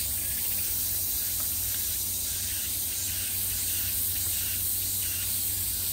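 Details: Cicadas in summer, a constant hissing high buzz with no gaps or clear rhythm, over a low steady hum.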